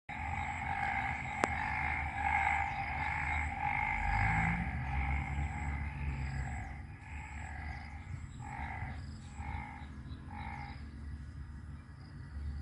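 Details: Frog chorus near Warin Chamrap, Ubon Ratchathani, in Thailand's Isaan region, after the previous night's rain, with waterlogged ground and rice paddies. Dense, rapid pulsed croaking, about four per second, fills two steady pitch bands, then breaks into separate bursts as it thins. A sharp click sounds early on.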